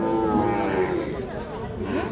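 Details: Sahiwal bull calves on sale at Ambari cattle market in Parbatipur, Dinajpur, 26 March: a tonal moo that slides downward over about one second, then a fainter rising call, amid steady market chatter.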